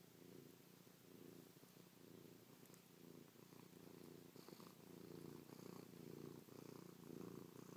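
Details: Close-up purring of Chloe, a cat snuggled on her sleeping owner, licking and pawing their face; a deep continuous rumble pulsing with each breath, growing slightly louder toward the end with soft rustles.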